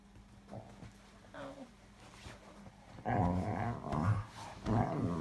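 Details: A pet Cocker Spaniel named Oscar wants cuddles, giving low, throaty grumbles that grow louder in the second half, three close bursts within a few seconds.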